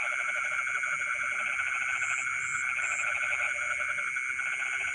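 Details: Midnight rice-field frog chorus: steady rapid croaking pulses throughout, with a droning insect background and short high insect chirps near the middle.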